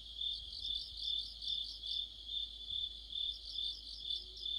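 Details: Crickets and companion insects sing in deep autumn by a streetlight, a continuous shrill trill pulsing gently roughly two times per second, even and unbroken against a quiet background.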